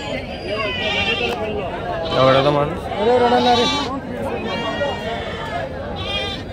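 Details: Red sheep at a sheep market bleat several times in quavering, wavering cries that overlap. A man keeps talking in Telugu throughout.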